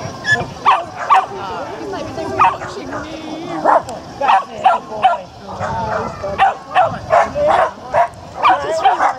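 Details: Japanese Spitz at the annual Spitz in the Park agility event between Tewkesbury and Evesham, July 2015; sharp barks come in a quick, uneven run of about two to three a second, with people talking nearby.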